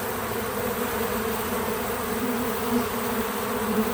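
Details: Many bees at work around a feeder give a continuous low droning buzz, even in loudness, with faint pitch wobbles near the end as individual insects pass close.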